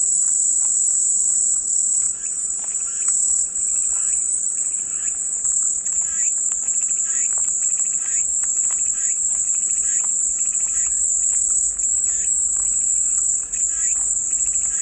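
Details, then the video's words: Long stretch of calming cicada song as white noise: a relentless high-pitched electric buzz with small dips in volume, backed by faint repeated chirps and soft pulsing calls throughout. "백색소음 마음이 평온해지는 매미소리"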